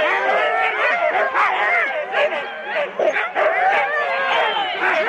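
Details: Eager Huskies harnessed in four-dog teams at the start of a sled run, Rendlesham, January 2016, on analogue cassette: a dense, unbroken chorus of shrill yelps, howling whines and barks from several dogs at once, with human voices mixed in.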